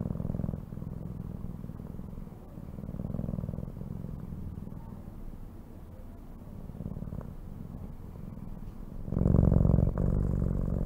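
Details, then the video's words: Domestic cat purring: a low, continuous rumbling drone with a fast pulsing texture and gentle swells, growing noticeably louder and fuller for the final two seconds. "CAT SOUNDS"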